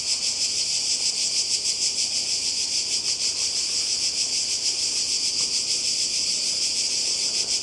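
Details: Cicadas by the sea in Croatia during summer, a bright, insistent high buzzing wall of sound with a quick regular throb running throughout the short stretch.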